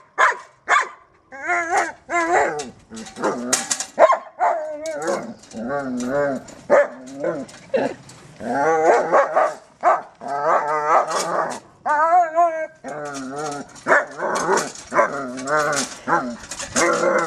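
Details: German Shepherd playing with a trolley, giving a busy run of short harmonic barks and wavering, yodel-like whines in quick succession, some rising and falling in pitch, with a person's voice heard at times.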